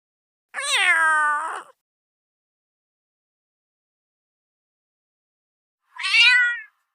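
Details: Cat meowing: one long meow opening high and sliding down over about a second, then a pause of four seconds and a shorter, higher rising-falling meow.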